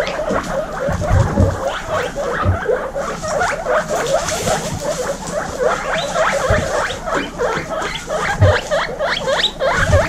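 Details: Many baby guinea pigs from a group of 26 females wheek together, a fast stream of short rising squeaks repeated several times a second, with low thumps and rustling beneath.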